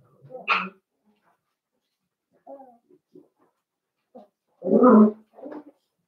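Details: Blenheim Cavalier King Charles Spaniel puppies, a litter of five born at New Year, in a home puppy pen; short soft whimpers and squeaks, then one louder whining yelp near the end, with quiet gaps between.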